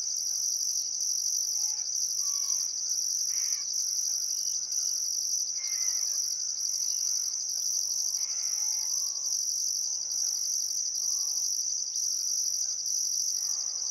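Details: Riverside crickets in Outback Queensland's Welford National Park at summer sunset, Barcoo River: constant high sharp chirping with evenly spaced pulses overhead, while birds add intermittent clipped whistles and chattering phrases.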